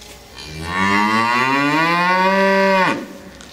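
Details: A cow protests loudly, wanting back into the barn at the accustomed hour while the keeper is late; one sustained moo of over two seconds, rising slightly then held steady before breaking off abruptly.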